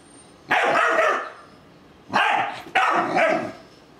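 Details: Doberman puppy named Lexa, formerly Bella, attacking a talking ball and a stuffed Doberman indoors: three loud, rough barks, the first long and growling, then two shorter ones close together near the end.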